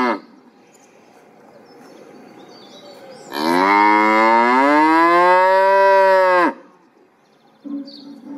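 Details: A single cow's drawn-out moo lasting about three seconds, steady and strongly harmonic with a slight rise then fall in pitch, preceded and followed by quiet low background noise and a brief faint sound at the end.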